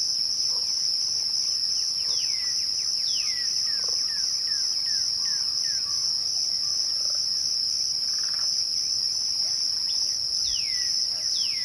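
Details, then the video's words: A twilight cricket chorus holds one continuous shrill ringing tone. Scattered falling whistle-like sweeps from another animal come in bursts near the start, the middle and the end. "twilight crickets"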